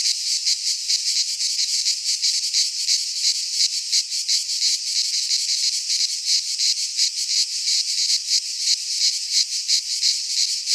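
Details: Cicadas sing in a Greek pine forest in midsummer, a dense, unbroken high-pitched buzz that throbs and pulses slightly.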